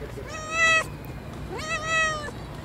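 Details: Cat meowing: two clear, drawn-out tonal meows, each lasting about half a second and bending slightly upward at the start, over a faint low background hum.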